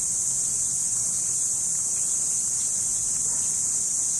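A cricket's shrill, high-pitched song rings out without a break, a steady piercing trill.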